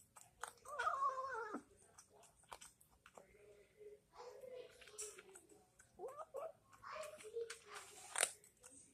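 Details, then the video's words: Pet cat making odd noises while eating: a wavering, strained meow-like cry near the start and another short rising-falling wail later, among wet chewing, clicking and smacking sounds. "kitty making weird noises while eating"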